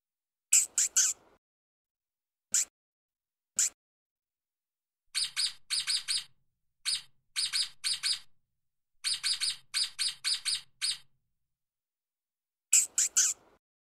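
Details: A stoat running fast on the ground gives quick, thin, high-pitched chirps in short bursts of three or four.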